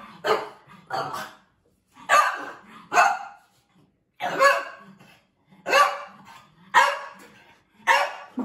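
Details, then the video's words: French Bulldog reacting to a picture of another French Bulldog, barking: eight loud, broad barks in irregular pairs and singles over about eight seconds, with short silences between. "French Bulldog Reacts to a Picture of Another French Bulldog"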